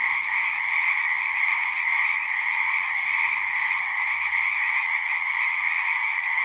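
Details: Singing frogs in a natural setting form a dense, unbroken chorus: overlapping trilled croaks blend into a steady two-toned drone, one band middle-pitched and one higher, holding an even loudness throughout with no pauses or other clear sounds.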